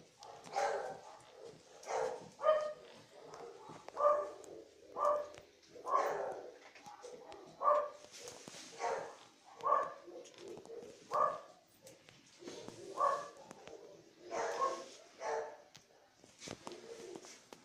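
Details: Bichon Frise puppy giving a run of short, high, yappy barks and whimpers, about one every second, in uneven bursts over a quiet indoor background.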